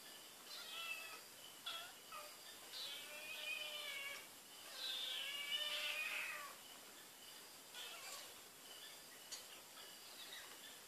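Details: Cat Barbie Choc smelling Whiskas, searching around, recorded 12 May 2013: a run of closely spaced, wavering meows with rich harmonics, some drawn out and rising then falling, several per second at times, over a steady background hiss.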